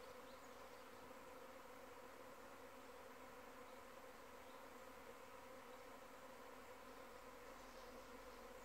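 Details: Many honey bees from a nearby hive fill the air with a steady, dense droning hum, an even swarm buzz with banded tones that holds unbroken throughout and never rises or falls.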